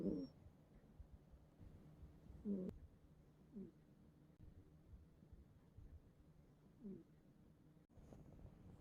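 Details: A cat dozing in a bed gives soft, raspy snores at uneven intervals, several short breathy rasps over a few seconds, with light rustling and a click from handling nearby.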